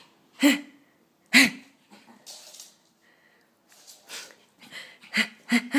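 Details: Excited Pekingese dog giving short, sharp, harsh barks: two spaced near the start, then a quick cluster of three near the end, with snuffling, wheezy breaths and rustling between the bursts.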